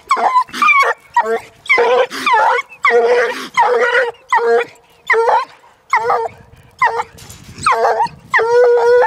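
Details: One-year-old female Treeing Walker Coonhound bays at a raccoon held in a cage, her second encounter with one. Rapid series of short choppy bawls and barks, some rising and falling, about a dozen bursts.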